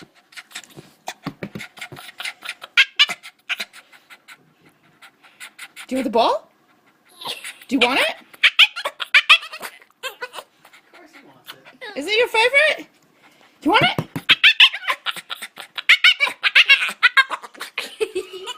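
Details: A Boston terrier, indoors, makes strange whiny vocal noises because it wants to play with the ball: several rising, yowling sweeps mixed with a person's excited talk about the ball.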